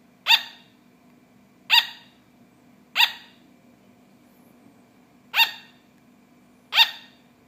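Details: Pet sugar glider barking: five short, sharp yapping barks with a bright harmonic ring, spaced irregularly about one to two seconds apart over a steady low electrical hum.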